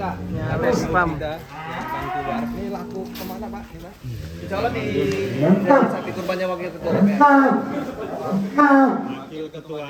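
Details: Sacrificial cattle (sapi kurban) kept for the 2023 sacrifice season, owned by celebrities and officials: deep, drawn-out moos, several in a row, some steady and some sliding in pitch, with music and faint chatter behind.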